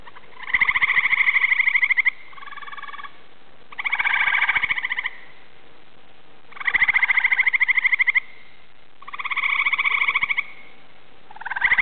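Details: Several Eastern gray treefrogs (Hyla versicolor) give loud, musical, pulsing trills, each lasting a second or two, calling from trees around a small woodland pond at dusk.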